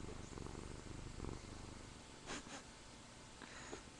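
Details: Missy, a pet cat who likes to purr, gives a soft, low, steady rumbling purr close by, with a few brief rustles and clicks toward the end.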